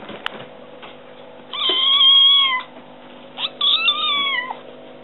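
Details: Young kitten crying for its meal: two long, steady meows about a second each, the second bending slightly downward at the end, over a low steady indoor hum.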